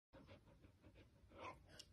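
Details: Samoyed panting softly indoors, a quiet run of breathy puffs repeated roughly every third of a second, growing slightly louder toward the end.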